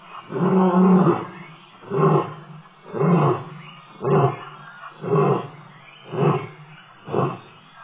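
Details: Male lion at Tembe Elephant Park, 26 October 2013, ending a roar with a run of short deep grunts. The first is longer, then seven clipped bursts follow roughly one per second and gradually weaken.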